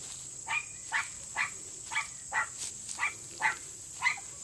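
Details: Male Miniature Pinscher working underground during a Senior Earthdog leg, reaching the quarry in 10 seconds; sharp, fairly faint barks repeated about twice a second, with a steady high hiss behind.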